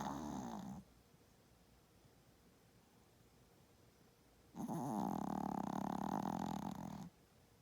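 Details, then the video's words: Pet dog snoring loudly while asleep after hard play: the tail of one raspy, buzzing snore, about four seconds of quiet, then a long rough snore lasting roughly two and a half seconds. "Little dog, big snores"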